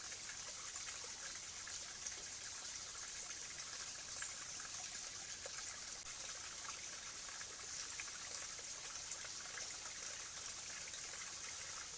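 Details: Steady trickling and gushing water fills the recording, with no clear animal calls standing out.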